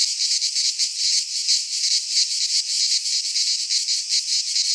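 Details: Cicadas singing in midsummer in a Greek pine forest: a dense, loud buzzing chorus, pulsing rapidly about three times a second, steady throughout with no other sounds.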